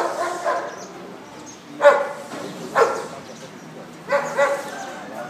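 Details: Large Bull Terrier barking: three deep, abrupt barks at spaced intervals, with quieter murmuring sound between them.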